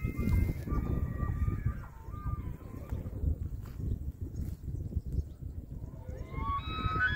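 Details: An elk (wapiti) in Hurunui, New Zealand gives thin, whistled squeals that waver, then climb steeply near the end, over a heavy low rumble.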